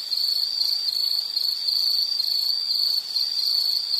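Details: Steady shrill insect trill in regular pulses, constant loudness, nothing else clearly heard.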